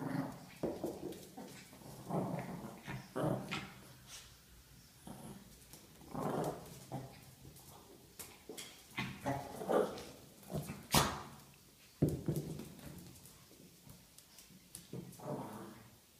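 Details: A Chihuahua growls in short, rumbling bursts while playing with a ball, with a few whimpering notes.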